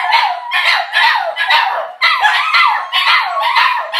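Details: Chorus of two Border Terriers and a Jack Russell/Pug cross singing together as a welcome home for their owners, with wavering, rising and falling howls in dense overlapping pulses and sharp yips between.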